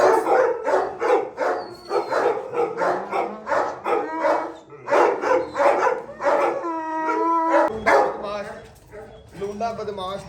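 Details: Barking Gultair dogs in a kennel in Pakistan with a male and a pregnant female; rapid, repeated barks, about three per second, then a drawn-out whining howl, with a man's voice and background noise.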